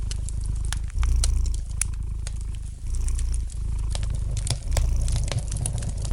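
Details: Domestic cat purring steadily in front of a fire, a low throbbing rumble with breath cycles about every second, while the fire crackles and pops lightly in the background.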